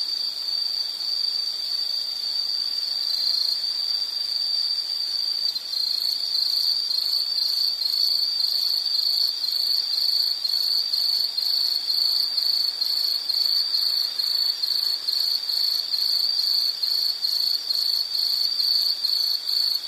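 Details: Long run of shrill insect chirps at one high pitch, shifting slightly around five seconds then pulsing in fast regular bursts, with faint fainter callers above and light hiss.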